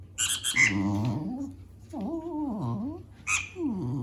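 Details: A dog complains at squeaks from a tablet mouse game for cats with long, wavering moans that swoop up and down in pitch, almost like talking, as brief high electronic squeaks break in at the start and near the end.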